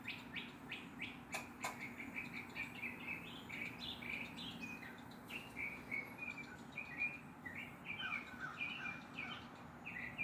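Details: Squirrel scolding a black stray cat it dislikes, with a large black dog resting close by: quick run of clipped, chirpy barks, densely repeated then spacing out, with a constant low background drone and an occasional sharp click.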